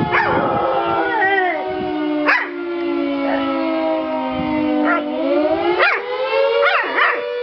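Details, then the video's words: Tia, a pet dog, howling: a long sustained wavering tone that sags slowly then rises again, broken by sharp bent yips near two, five, six and seven seconds, above a steady droning tone. "Howling dog (Tia)"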